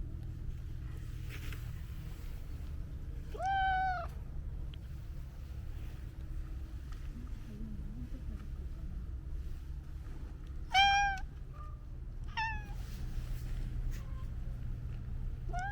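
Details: Domestic cat meowing: three separate meows, two drawn-out arching cries and a shorter, falling one near the end, each rich in overtones, spaced several seconds apart over a steady low background hum.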